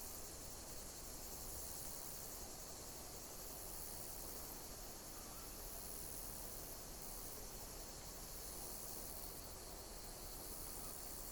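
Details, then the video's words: Continuous high-pitched insect chirping in a natural setting, a shimmering band with soft pulses roughly every two and a half seconds, laid over steady low background noise. "Pleasant sound of insect chirping in nature"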